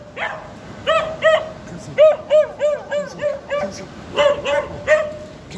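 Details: Young border collie sheepdog in training barking at a giant illuminated sheep statue at Durham's Lumiere light festival, trying to round it up; bursts of short, high yappy barks in quick irregular clusters, roughly three per second at times.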